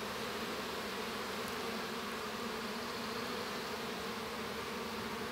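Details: Inside a honey bee hive during the hatching of a young bee, a constant, level buzz of the colony, smooth and droning, with a faint hiss above it.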